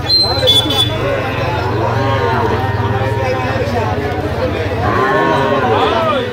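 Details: Sahiwal bull calves, four to five months old, at a cattle market in Barishal, Bangladesh; drawn-out low lowing with rich harmonics over several seconds, a second moo near the end, amid people bargaining and crowd chatter.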